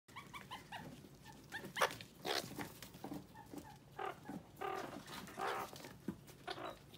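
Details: About one-month-old meerkats in Moscow, Russia squabble over a bell pepper one refuses to share, giving short, harmonic chirps followed by harsh, raspy bursts.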